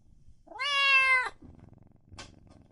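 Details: Kitten giving one clear, high, rising-then-level meow of under a second, followed by a short faint second squeak, in a quiet indoor setting.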